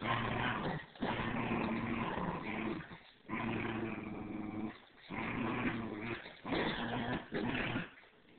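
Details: A standard schnauzer puppy of three months and an older Bichon tugging on a toy together; long, loud play growls in four or five sustained bursts separated by brief pauses, harmonic-rich and rumbling.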